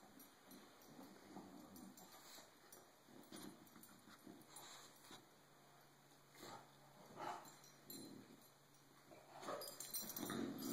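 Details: Cisco the bulldog, fed up with being bullied, makes irregular whimpers and low growling grumbles, rapid and uneven, with scuffling noise and a faint steady hum throughout.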